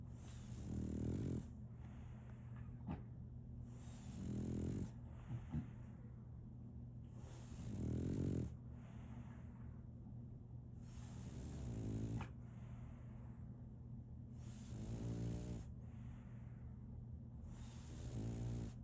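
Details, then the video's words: French Bulldog Solaimy, a sleeping female puppy, snores steadily: a long series of rasping, snorting breaths every three to four seconds, some wheezy and rattling, with a soft click and an ever-present low hum. "RONQUIDO de un French Bulldog"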